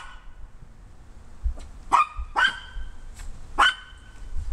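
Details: Maltese dog on a deck barking at two other Maltese dogs running in the wet grass of the backyard below, calling them to come back up. Three or four sharp, clear barks about half a second to a second apart, over a low outdoor rumble.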